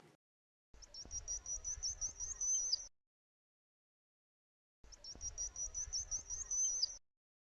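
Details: A bottlenose dolphin named Candi gives her signature whistle, her unique identifying call, a high, thin tone repeated twice in the same wavering shape.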